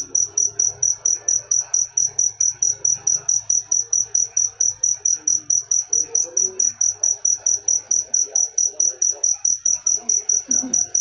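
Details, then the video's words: A cricket keeps up an unbroken run of shrill, evenly spaced chirps, several each second, while faint background chatter and scattered low sounds drift beneath. "Full suara Jangkrik manis. Suara merdu"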